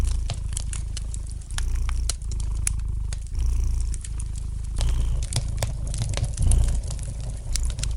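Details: Gentle purring of a domestic cat by a crackling fire: a continuous deep rumble swelling in breath cycles roughly every one to one and a half seconds, with scattered snapping crackles from the fireplace throughout.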